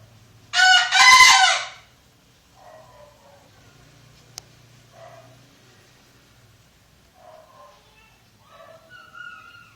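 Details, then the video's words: Bekisar, a kept and cared-for crowing bird, gives one loud, harsh, ringing crow lasting about a second, followed by quieter scattered clucks and chirps over a low steady hum. "Ayam Bekisar Gacor Suara Nyaring"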